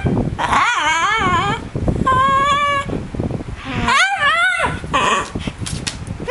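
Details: Indoor pet dog Mr Bean attempting a 'hello': drawn-out, warbling yowls with wobbling pitch, one steady held tone, then a rising-falling wail, with a person speaking between them and fan noise underneath.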